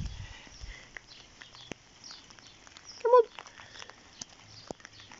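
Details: A Vizsla that dislikes rain gives one brief, high, tonal whine against quiet background noise.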